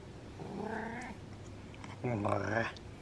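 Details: A happy male pet cat rolling over indoors gives a drawn-out, slightly rising meow, followed by a deeper voiced sound as a person talks to it nearby.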